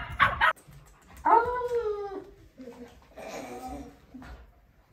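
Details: Chatty German Shepherd kept as a pet, vocalizing in its own odd way: a brief sharp yelp, then a drawn-out, falling whine-howl, followed by softer low groaning mutters, over faint background music.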